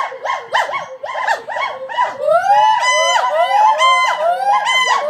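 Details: At the Gibbon Conservation Center, gibbons sing loudly and without a break: arching whoops rise and fall in fast succession, later sliding upward into long climbing notes, several voices overlapping.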